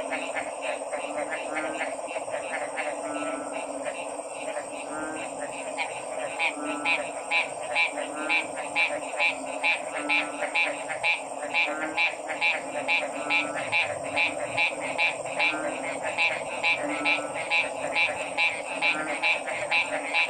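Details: Dense frog chorus, with quick croaking pulses that come faster and more evenly as it goes on. A continuous buzzing hum runs underneath throughout.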